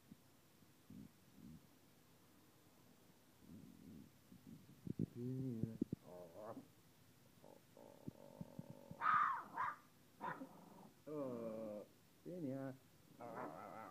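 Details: Puppy giving a string of short harmonic whimpers and yelps, quiet at first, then louder bursts in the second half, some rising and wavering in pitch, separated by brief pauses in a quiet indoor setting.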